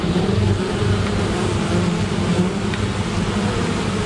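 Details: Honey bees buzzing as they defend against a great black wasp at an apiary; a dense, steady low drone of many wings with humming bands, continuous throughout with no pauses.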